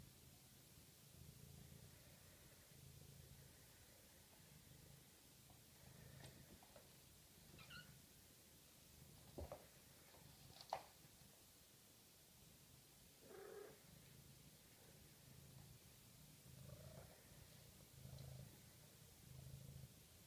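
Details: Litter of six-week-old Maine Coon kittens indoors: a soft, low rumbling purr swelling in steady breaths roughly every second and a half, with a few brief faint mews and small clicks scattered over it.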